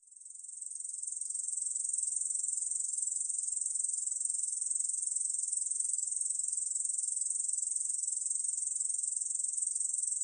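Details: Korean bush cricket song from the National Institute of Biological Resources, 2020: a continuous high, hissing buzz that swells in over the first two seconds, then holds steady with a fine rapid pulsing throughout.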